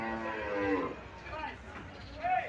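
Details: Dairy cow at the Sonai Chandi cattle market on a Wednesday, 25 June, giving a deep, drawn-out harmonic moo at the start, then a shorter rising call near the end, with people talking in the busy market.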